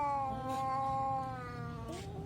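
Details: Fighting domestic cat holding one sustained, throaty yowl that wavers slightly and dips near the end, a continuous threatening moan against faint background music.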